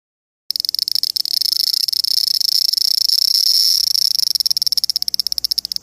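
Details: Japanese cicada giving a loud, shrill, high-pitched buzzing whine. It holds steady for several seconds, then breaks into rapid, evenly spaced pulses over the final two seconds.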